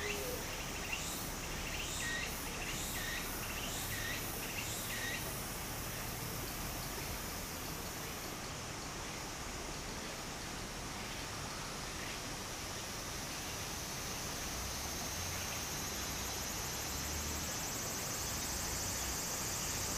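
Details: In Japan in summer near a small stream, a thin, steady high-pitched cicada drone continues throughout, with fading pulsed bursts at the start, all over constant water noise.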